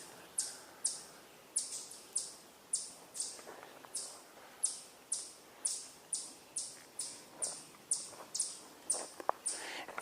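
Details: Chipmunks give sharp, high chips, about two a second, steady and repeated, in quiet woods on 25 June 2022; the observer guesses they are calling because of his presence rather than barred owls.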